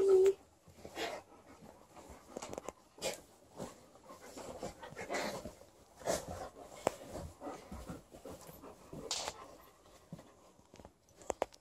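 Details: Alaskan Malamute named Liza playing on a bed indoors with her companion Lucy. Her panting comes as irregular breathy bursts, with a brief tonal whine at the start and a few sharp clicks and rustles between breaths.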